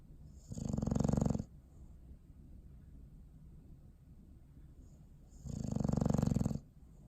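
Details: Sleeping dog snoring on December 21, 2019: two long, low, rasping snores about five seconds apart, each lasting roughly a second, with quiet steady breathing in between.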